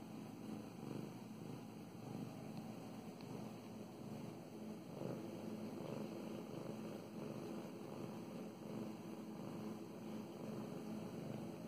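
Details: Mow Mows, a pet cat, purring steadily while getting petted; a close, low buzzing rumble pulses evenly through the whole stretch, with light rustles from the petting hand.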